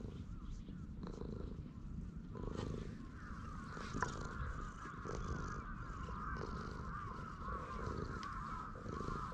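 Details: Purring stray cat resting on a bench while stroked, showing its pleasure, captured on a GoPro HERO8: a steady low rumble with regular pulses, over a constant higher outdoor hum and occasional sharp clicks.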